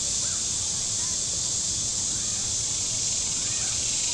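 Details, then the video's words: Cicadas on the shore of Table Rock Lake in southern Missouri on a very warm Saturday, giving a steady, unbroken high hiss with no pulsing and faint bird chirps underneath. "Boating Lake Sounds and Cicadas"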